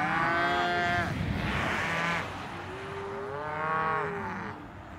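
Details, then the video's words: Cows mooing: a one-second bellow, a short hoarse second call, then a longer moo that rises and falls before fading, over light background rumble. "Voice of Cows"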